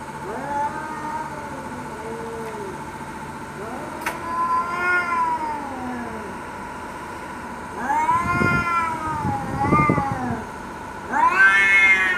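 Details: Domestic cats fighting and threatening each other: long wavering yowls arching up and down in pitch, then harsh noisy spitting bursts in the later half, ending on a loud rising wail; a steady low hum runs underneath.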